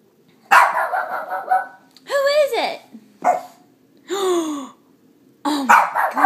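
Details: A three-year-old pet Shih Tzu bitch, reacting to her reflection, gives a harsh bark followed by drawn-out, bending yowls that rise and fall, separated by short silences. A woman talks to her cheerfully in between.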